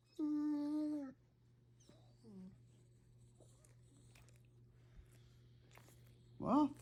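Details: A female Great Dane tries to howl, a steady, drawn-out howl lasting about a second, then short softer sounds and a rising cry; she normally howls only when her pug brother does.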